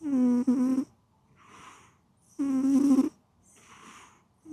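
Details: Sleeping cat snoring in a steady rhythm. Two loud, buzzy, purr-like snores about two seconds apart each give way to a soft breathy exhale.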